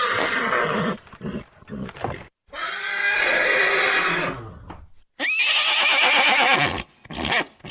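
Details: Horse neighing: loud, shrill, quavering whinnies separated by short silences, with one long call in the middle and a high wavering cry near the end; no other clear sounds.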